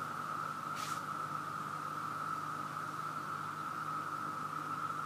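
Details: An overwhelmingly loud chorus of cicadas in Virginia: a dense, unbroken, steady drone with a low hum beneath and a brief rustle near the start.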